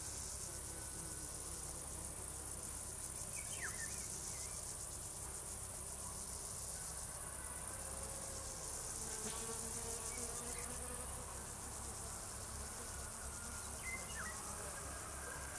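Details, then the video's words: Crickets singing: a continuous shrill, very high trill runs unbroken through the whole recording, with a few brief bird chirps and a low steady rumble beneath. "singing crickets"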